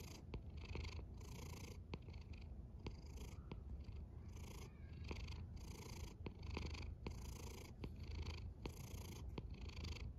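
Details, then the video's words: Cat asleep and snoring, with a rhythmic rumbling drone broken into short breathy hisses at an uneven, fairly quick pace, plus small sharp ticks scattered through the quiet room. "A snoring cat"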